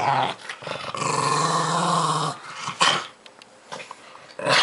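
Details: A pug called Milo growls fiercely over squash at Halloween, a rough, continuous rumble for over two seconds, followed by quieter clicks and chewing sounds.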